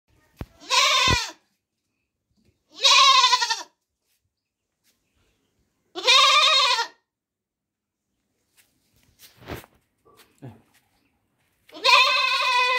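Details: Baby goat bleating: four loud, wavering baa calls, each about half a second to a second long, spaced roughly every two to three seconds, with a few faint clicks and knocks between them.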